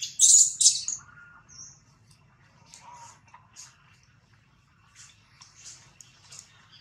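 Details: Newborn baby monkey Jody crying loudly while held by the kidnapper Spring: two loud, shrill, high screeches open the recording, then softer, scattered squeaks and short chirps follow amid faint background hum.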